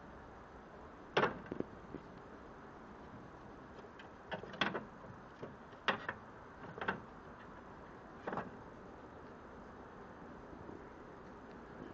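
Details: Quiet outdoor background with a handful of sharp knocks and clicks scattered through, and no animal voice heard.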